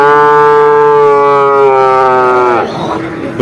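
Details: Bull calf at Vaniyamkulam cattle market in Kerala, India: one long, steady, harmonic moo lasting about two and a half seconds, ending abruptly, followed by faint market background.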